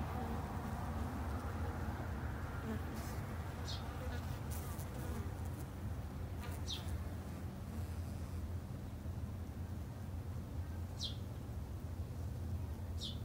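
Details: Steady low humming of Japanese honey bees kept at a home garden apiary. Sharp descending bird chirps stand out over the drone at intervals.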